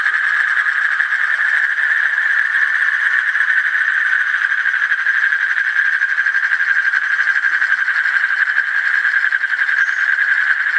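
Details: Long droning trill of an Asian common toad, a rapid stream of pulses merging into an even mid-pitched buzz that never breaks over the whole stretch.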